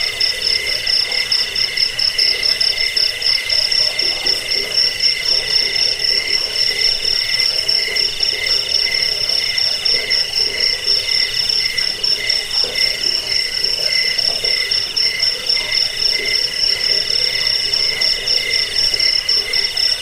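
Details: Crickets chirping for rat repelling, sleep and songbird training: a long, steady wall of piercing pulsed trills, rapid beats never pausing, with a lower buzzing layer and soft, uneven throbbing below.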